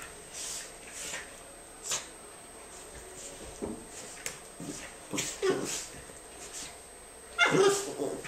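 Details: Playful dogs, a Norfolk female romping indoors with her best friend Jackson, give scattered short yips and soft whimpers between quiet gaps, ending in a sharper, louder yelp near the close.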